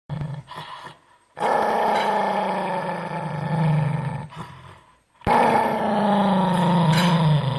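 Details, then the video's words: Angry dog growling: two long, rough, harmonic growls of about three seconds each that slide slowly downward in pitch, with a few short, quieter grumbles before them and a brief silent gap between. "angry dog Funny sound Ba Ba Ba !!!"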